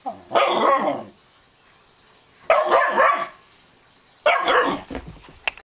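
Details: Dog worked up after a bath gives three long, raspy barks about two seconds apart, each slightly drawn out and rough, indoors with little other sound.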